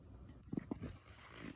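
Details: Young male ferret, under three months old, making strange noises while drifting off to sleep indoors, a sign of illness; a few short low grunting pulses in quick succession, with a woman speaking softly around them.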